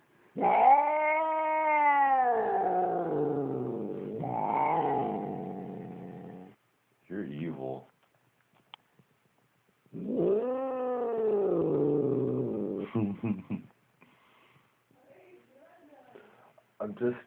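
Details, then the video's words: Domestic cat growling at its owner in displeasure, uttering two long arched wailing growls with rough, grating tails, short clipped calls between them, and the owner's quiet voice near the end. "Evil Cat Growling"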